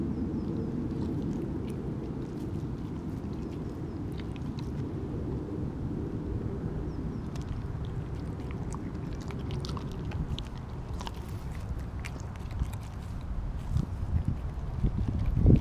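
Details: Siberian Husky named Kobi eating a whole raw mackerel in one go instead of his usual smaller chunks; wet crunching and clicking bites over a steady low rumble, with louder biting near the end.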